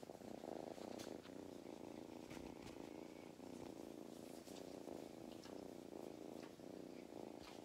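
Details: On a County Kilkenny farm in Ireland, a male cat who loves belly rubs purrs contentedly: a strong, fluttering, low rumble pulsing with each inhale and exhale, with brief handling rustles.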